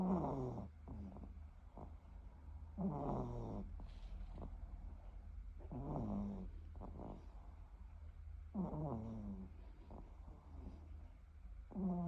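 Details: Sleeping Shorkie dog snoring steadily, a low rasping breath with a whistly wavering nasal tone returning about every three seconds, five breaths in all.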